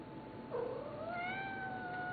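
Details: A female pet cat meows in reply when asked to talk indoors: one long drawn-out meow that starts around half a second in and holds a steady, slightly rising tone to the end, with her owner's voice before and after.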